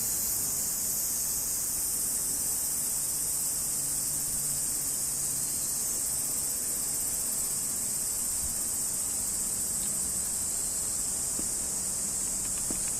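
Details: Large brown cicada, aburazemi: a continuous dense sizzling drone, steady and unbroken throughout, with no clear pulses or pauses.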